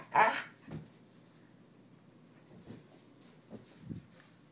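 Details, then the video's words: A corgi responding to its owner's questions gives one sharp bark, followed by soft room noise and a few faint low thumps. "I ask a corgi a series of questions. Here are his responses."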